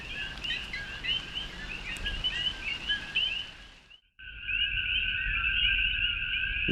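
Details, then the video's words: Coqui frogs, endemic to Puerto Rico, with males calling at night as rain begins under dark clouds. A dense chorus of many overlapping chirps sweeping upward at a high pitch. The sound cuts out briefly midway, then returns as a steady, droning chorus. "Sounds of the Jungle: Coqui Frogs"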